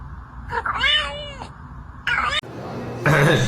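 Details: A cat gives drawn-out, wavering meows: one long call of about a second, then a shorter one, with a person's voice and room noise close by.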